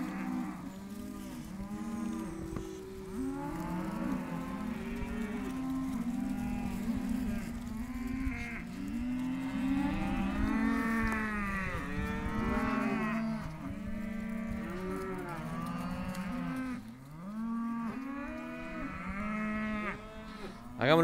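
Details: Herd of Hereford bull and heifer calves in an auction pen bawling almost without pause, many short rising-falling moos overlapping; a brief dip near seventeen seconds and a sharp knock at the very end.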